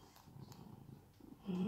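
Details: Sam, a rescued house cat in Cooktown, Queensland, Australia, being groomed; a soft, pulsing low purr runs continuously, with a short voiced sound near the end.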